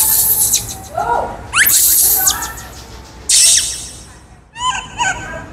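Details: Kaka, a wild baby monkey hungry for fruit, lets out harsh, noisy high screams in separate bursts, with shorter wavering squeals between them and a closing series of quick, choppy cries.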